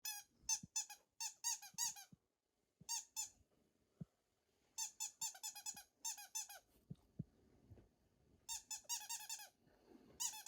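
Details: Female Shiba Inu in a rural home, anxious during a sudden power cut and staying close to her family; bursts of high, thin, squeaky whines come in quick clusters, with soft knocks and room noise between them.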